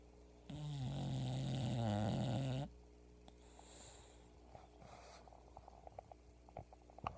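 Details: Pebbles, a sleeping English bulldog, snoring very loudly indoors: one long, harsh, rumbling breath of about two seconds with a low droning tone, followed by quiet room noise and small clicks.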